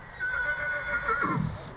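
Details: A stallion from Satu Mare, Bucovina, filmed in 2022, lets out a brief neigh, a steady high tone that wavers slightly and then drops into a rough, low snort at the close.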